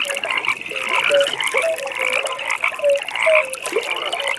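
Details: Frogs calling at a pond in a nighttime setting: a steady high pulsed trill runs through the clip, while short tonal croaks rise and fall beneath it, several callers overlapping.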